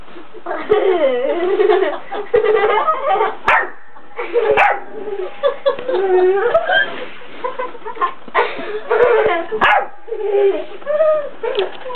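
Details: Four-month-old Labrador Retriever puppy playing with an eight-year-old cat: quick bursts of short yips and whiny, wavering cries, some rough growly notes, almost continuous across twelve seconds with brief pauses.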